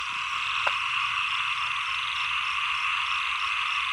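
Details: Frogs at the end of the rainy season and start of the cold season: a dense, steady chorus of fast, rattling pulsed croaks from many callers, forming a continuous mid-to-high buzz, with one brief click early on.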